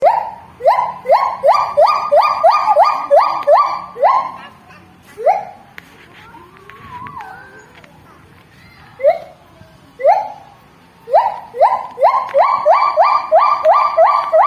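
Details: Javan gibbon giving a call likened to a siren: bright upward-sweeping hoots fired in rapid bursts of about two per second, a quieter stretch of scattered single rising notes mid-clip, then another fast run of siren-like sweeps.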